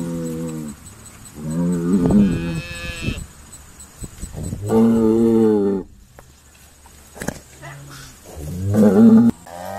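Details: Sorting day at Stone Meadow Farm with Irish Dexter cattle; deep, fairly low moos in separate bouts, a rough bellow near the start and a long steady low call, with quiet pauses between.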